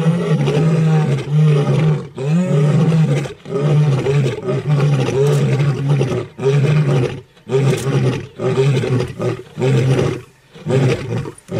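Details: Lions roaring; deep, rumbling roars and grunts in a steady series of bursts roughly every second, low and powerful with short gaps between them.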